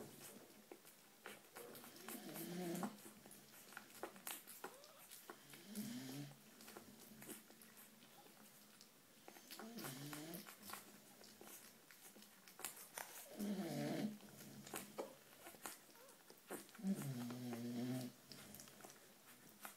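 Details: Female American Bulldog puppy indoors, giving drawn-out whimpering whines that rise and fall, in bursts roughly every three to four seconds, among clicks, rustling and soft handling noises.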